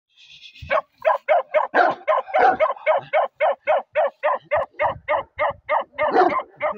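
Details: Bakarwal dog puppy barking in a fast, even run of short, sharp barks, roughly three or four per second, after a brief higher whine at the start; a person speaks briefly at the end.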